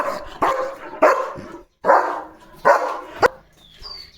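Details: German Shepherd dog barking loudly at the gate during morning guard duty after spotting another dog passing the house; five sharp, harsh barks spaced about half a second to a second apart, then quiet.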